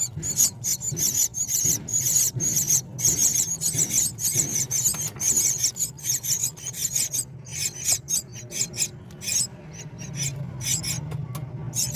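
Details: Rapid, scratchy rasping and rubbing noises, like filing or scraping, with no clear animal calls.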